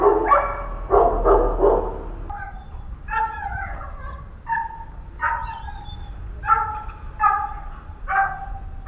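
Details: Lonely barking and yelping from seven dogs abandoned on a house roof in H'Attard, Malta, for months. Rough, noisy barks open the sequence, then higher, tonal yips and barks with falling pitch repeat irregularly against a steady hum.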